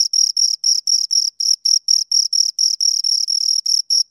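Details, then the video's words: Close recording of two crickets: bright, high chirps broken into short bursts, about four per second, each a buzzy pulse train, clean and free of background sound. "Two Crickets Chirp Sounds"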